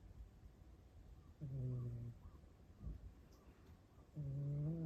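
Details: Snoring rescued cat: two low, humming snores, each under a second long and about three seconds apart, steady and buzzy with faint overtones, against quiet indoor background.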